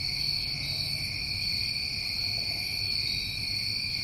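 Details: Short stretch of New England summertime crickets: a uniform wall of high, buzzing trills in layered bands, unchanging, with faint low background noise.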